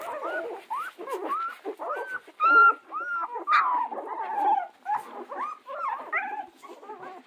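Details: Central Asian Shepherd puppies from one litter give a busy run of high, whining whimpers and yips. The cries rise then fall, overlapping almost without pause, with one louder squeal about two and a half seconds in.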